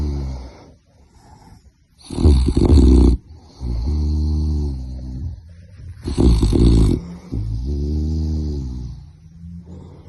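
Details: Sleeping puppy snoring: loud, rough snores about every four seconds, each a buzzy burst followed by a lower, droning, harmonic breath, with quiet pauses between.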